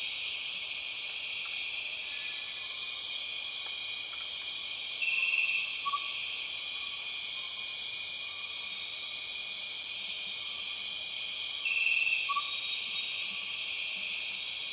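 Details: Empress cicada chorus from the Borneo rainforest, a relentless shrill droning hiss lasting the whole stretch, with brief brighter pulses and scattered faint whistled notes below it.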